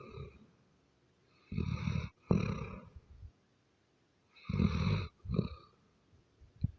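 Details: A Doberman snores loudly in a deep, rasping rhythm: two long grating breaths a few seconds apart, each followed by a shorter snort, in an otherwise quiet room.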